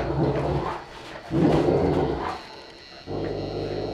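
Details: Two Saint Bernards, Joseph aged four and his one-year-old young Stitch, heard indoors giving deep, grumbling growls in two or three rough bursts with a short lull between.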